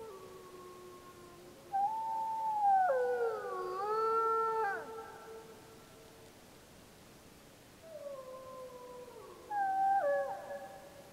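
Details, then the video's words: Gray wolves of the Snake River pack, Summit Ridge, Wallowa County, July 2012, replying to a howling pup: a chorus of several overlapping wavering howls rising and falling, a pause, then another shorter burst of crossing howls. "Snake River Wolf Pack Howling"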